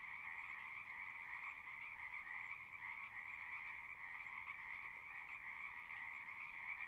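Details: Distant frog chorus heard across a horse pasture from a pond, recorded with a Zoom 6; a soft, steady, unbroken trilling hum with two pitch bands, mid and higher, and no other sounds.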